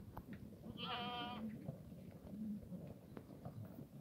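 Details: Black goat on a farm in Gimhae, South Gyeongsang, South Korea, in the farm yard on a clear Sunday morning: a single short harmonic bleat, wavering and nasal, over low rumbling background noise.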